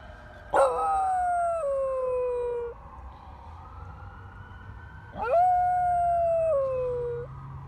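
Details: A Basenji cross Corgi dog howls at a fire truck: two long howls about five seconds apart, each starting with a harsh burst, holding a steady tone, then sliding down a step before ending.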